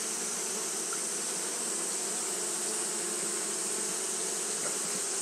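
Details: Japanese honey bees fanning nonstop on a hot day produce a uniform humming drone with rich low tones and an even hissing wash on top, with no pauses.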